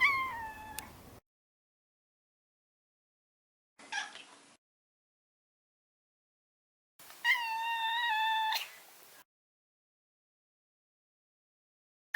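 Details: Pet Maine Coon Maro, a neutered male: a short falling meow, a faint brief mew, then a longer two-part meow that rises and holds steady with clear harmonics before fading.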